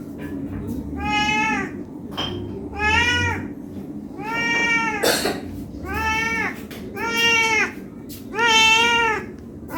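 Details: ['Six insistent meows from a domestic cat pleading for food out of hunger. Each cry is drawn out and arched in pitch, repeated roughly every one and a half seconds, with a brief click and low murmur between.']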